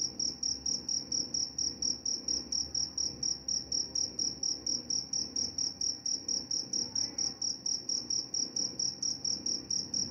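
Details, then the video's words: Crickets chirping steadily, a shrill high-pitched pulsed trill repeated about four times per second, each chirp even in length, over a faint low background hum. "Suara jangkrik"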